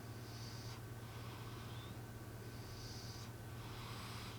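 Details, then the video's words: Sleeping cat M gives faint, breathy snores, two hissing exhalations about two seconds apart, quiet beneath a steady low hum and background noise. "俺のイビキ ロングバージョン💤 My snoring"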